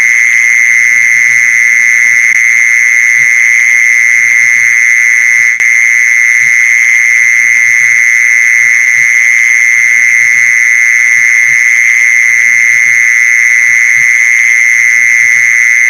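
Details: Continuous high buzzing of a mole cricket, recorded for luring mole crickets; the trill stays level and unbroken throughout, one brief click partway through, faint low thuds below.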